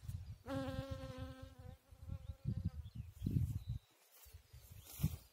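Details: Bee at work on a chicory flower, giving a steady, droning buzz with rich overtones for just over a second, then breaking off amid low rumbling wind-like noise and scattered bumps.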